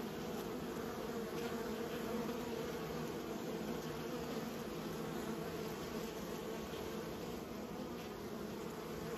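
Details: Many bees in a beekeeping setting buzz continuously, producing a thick, level drone with slight flickering in loudness and a faint persistent high-pitched whine behind it.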